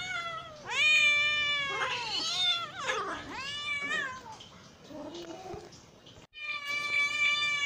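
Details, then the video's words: Hungry cat calling with insistent, overlapping meows that rise and dip in pitch, a brief quieter stretch with soft sounds, then a long steady meow after a short cut. "hungry cat sounds"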